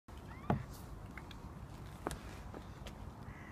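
An Alaskan Malamute gives two short, harsh, grumbling yowls in protest at going for a walk.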